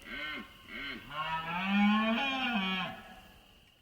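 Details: A red deer stag bellows in the September rut in the Spanish mountains: two short, deep grunting calls, then a long, hoarse roar that swells and falls over nearly two seconds.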